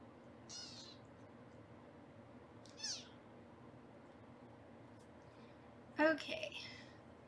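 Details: Foster kittens being weighed indoors on a live kitten cam in Los Angeles give three thin, high-pitched mews: two faint short ones near the start, then a louder, fuller cry about six seconds in, over a steady room hiss.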